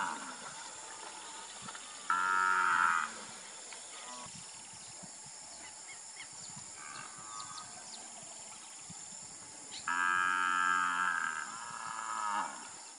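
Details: Nelore cattle raised for beef in Brazil, lowing twice about eight seconds apart. Each moo is a strong, drawn-out, tonal call of roughly one second, and a fainter moo follows near the end. Soft rural background noise and faint chirps fill the gaps.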